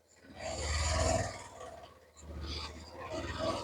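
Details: Friesian cow just sold from the Rangdhonu Agro farm and being taken away after a hard loading onto a vehicle. It gives two deep, rasping, drawn-out bellows, the first about two seconds long and the second shorter, over a low rumble.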